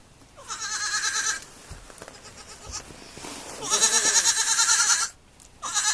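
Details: Bleating of baby goats on a farm: a one-second trembling cry, a quieter murmuring gap, then a long, loud, vibrating bleat and the start of another at the end.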